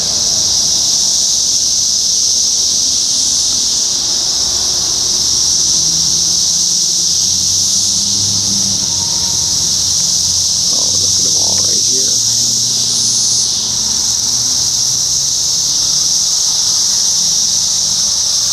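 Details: Seventeen-year periodical cicadas, Brood X, Sharonville, Ohio, early June 2021: an unbroken, piercing chorus holds steady throughout, while a low rumble and a few faint voices sit beneath it.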